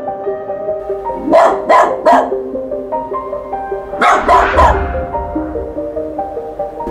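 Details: A stray dog that visits a house nightly at the same time gives two bursts of three sharp barks, each bark under half a second apart, with a pause between bursts, over steady music; its puppies had used the boiler room.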